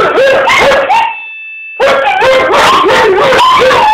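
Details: Two dogs, a little one and a bigger one, howl in reply to an annoying ringtone; wavering overlapping howls sweep between mid and high pitch, broken by a brief steady electronic tone before the howling resumes loudly.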